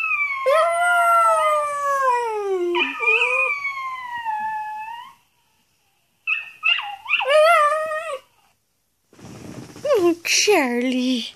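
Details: A pet Xoloitzcuintli, howling at a video of another hairless dog, gives long, wavering howls that slide downward, then shorter rising and falling yodels.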